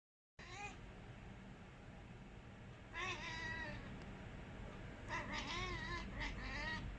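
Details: Pet cats chattering at birds, recorded 4 July 2020: bursts of harmonic, wavering, trilled calls, one near the middle and a longer run toward the end, over a steady low rumbling background.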